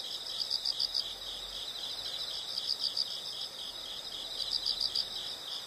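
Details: Insects trilling in brief groups of four or five sharp high pulses, repeated about every two seconds against a steady shrill drone.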